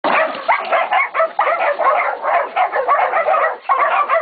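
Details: Catahoula and Black Mouth Cur pups, aged 16, 11 and 14 weeks, baying a pig at Golden Creek Catahoulas Kennel; dense overlapping yelping barks from several young dogs, continuous and chaotic with brief dips.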